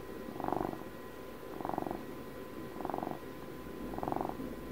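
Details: Close purring of a pet cat, celebrating Puppy's 12th birthday; four soft rumbling pulses, each under a second long, rising and falling about once a second over a quiet steady background hum.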